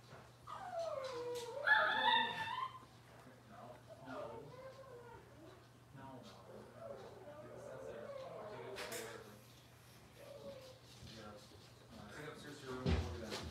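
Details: Cavalier King Charles Spaniel puppies from Robin's litter on an indoor kitchen livestream. They make high, wavering whimpers and yips that slide up and down, with a loud cluster around two seconds, then softer whines over a steady low hum.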